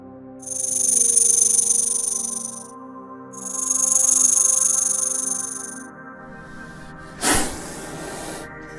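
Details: Snake, a group that includes venomous kinds such as the cobra, hisses twice. Each hiss is a sharp, airy burst lasting about two and a half seconds, and a dull thump follows. Soft music plays underneath.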